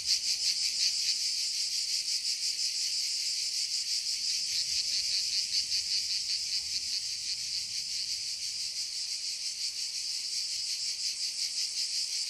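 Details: Cicadas in chorus in a forest, a dense, continuous high buzzing that pulses faintly and stays steady throughout, with no other sounds.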